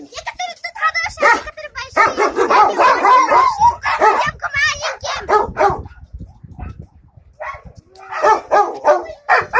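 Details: Yakutian Laika dogs at Chochur Muran giving a run of loud, rough barks in uneven bursts, some yelping and high-pitched, with people talking nearby.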